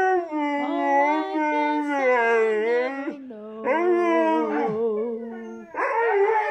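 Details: Several Siberian Husky dogs howling together in loud, sustained, overlapping tones that waver and step in pitch, with a brief break near the middle before the chorus resumes.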